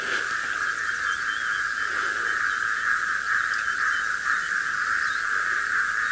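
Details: Many frogs call together at dawn around 5 AM on 18 December 2017 in Djuma Game Reserve, Sabi Sand, South Africa: an unbroken, shimmering chorus of rapid trills, with a couple of birds chirping faintly behind. Great white egrets are hunting the frogs.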